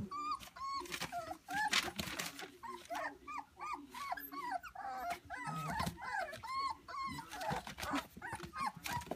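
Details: White standard poodle puppies about three weeks old fill the air with thin, high whines and squeaks, each cry rising and falling, many voices overlapping constantly over occasional soft rustling.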